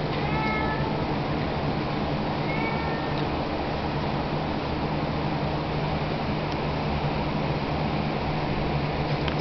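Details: A Siamese cat in heat gives two drawn-out, wavering yowls over a steady background hum, recorded 7 July 2021.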